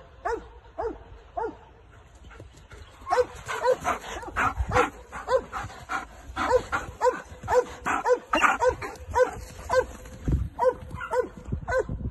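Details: K9 Belgian Malinois barking during training: a quiet start, then from about three seconds a rapid run of sharp, harmonic barks, roughly two per second, continuing steadily for about nine seconds.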